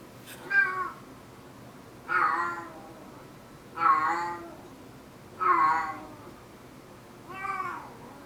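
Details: Paralysed cat, unable to use its hind legs, giving strange calls typical after waking: five evenly spaced, strained, quavering meows roughly every one and a half seconds, rising then falling, with quiet indoor background.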